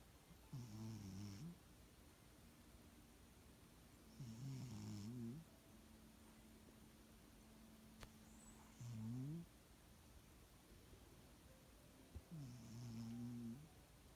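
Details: Sleeping pet cat snoring, perhaps because of a bad nose: low, rasping snores, each about a second long, repeating roughly every four seconds against a quiet hiss.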